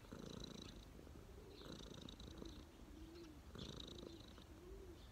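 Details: Street cat resting on someone's knees, its purr a low, rough rumble that swells in three breathing cycles about every 1.7 seconds.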